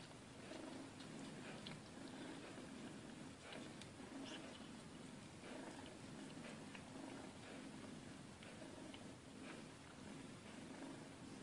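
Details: Mother cat with her kitten, purring: a steady, low rumbling drone runs unbroken through the whole stretch over a constant background hiss, with no meows or other voices.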